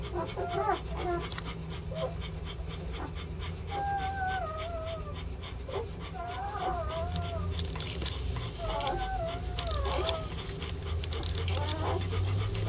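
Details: Litter of five German Shepherd puppies at a kennel, three males and two females, whining in drawn-out, wavering, falling tones, some overlapping, over constant low background hum and occasional soft clicks.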